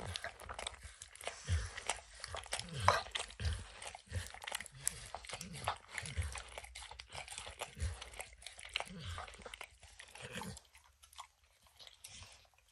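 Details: Max, a dog called Emperor Maximillian, licks peanut butter and kibble from an orange lick mat indoors; wet, rhythmic licks and smacks roughly every half second, fading out near the end, no talking.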